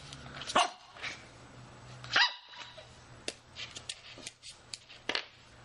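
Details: Shih Tzu puppy playing indoors: two sharp high yaps about one and a half seconds apart, then scattered softer yips and clicks over a steady low hum.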